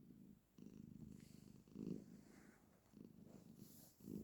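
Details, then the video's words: A female domestic cat purrs steadily while sitting with her owner, a low rumbling vibration that swells in bursts every second or so. She always makes this sound then. "My cat always makes this sound whenever she sits with me❤️"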